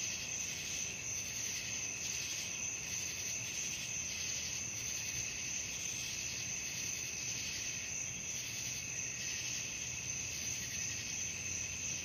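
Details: Crickets calling at night: a dense, unbroken chorus of high shrill trills stacked at several pitches, softly pulsing in strength every second or so, with a faint low hum underneath.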